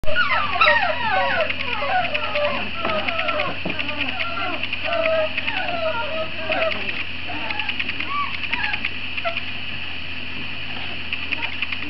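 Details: Great Dane puppies, a litter about fifty days old: many overlapping high whimpers and yips from several pups, fast and irregular, with a steady low hum throughout.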